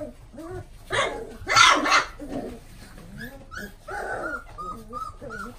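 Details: Golden Retriever with a gold coat, from a puppy breeder listing, lets out a loud burst of rough barks, then a run of thin, high whining yelps that fall slightly in pitch, repeated several times.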